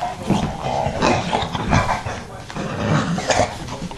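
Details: Yoda the dog among his puppies, with steady rough grunting and snorting sounds and faint short whines rising and falling over four seconds; a person speaks softly in the background.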